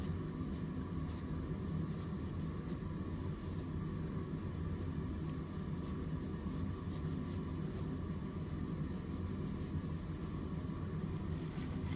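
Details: A steady low rumble of wind or engine noise fills the whole stretch, with no animal voice heard.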